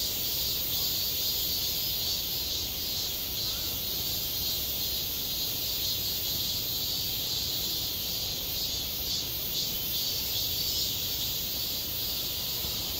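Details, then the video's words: Cicadas calling in midsummer at a school playground, a steady, dense, high-pitched buzzing drone that fills the whole clip without pause, with no other clear sounds. "한 여름 운동장에서 매미가 울고 있다 - 여름의 소리, 학교 종소리, 매미 울음소리"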